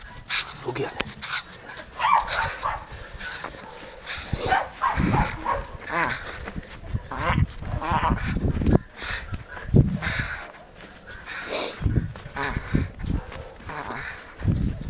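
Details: Taka, a Jagdterrier, gives harsh, broadband barks in irregular bursts across the clip, mixed with human voices and rough handling or rustling noise.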